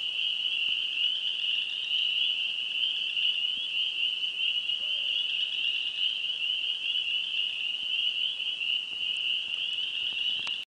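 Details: Wisconsin spring peeper frogs calling together. The overlapping shrill peeps form a constant high ringing throughout, and a brief sharp tick sounds at the very end.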